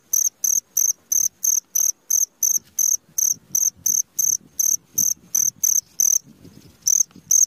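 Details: Cricket chirping at midnight: a regular run of bright, high-pitched pulses about three per second, a short pause near the end, then chirping resumes.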